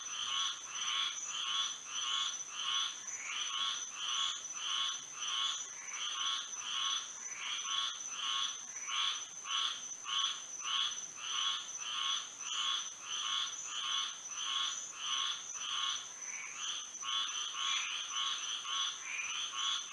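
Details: Night frog chorus in Florida under moonlight: rapid, evenly spaced croaking pulses repeat throughout, roughly a hundred per minute, layered with a steady high-pitched insect drone.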